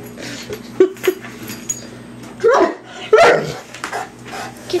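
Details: Hamish the mastiff, playing with raw chicken instead of eating it, gives short soft huffs and then two louder barks near the end, with a person urging him to get the chicken.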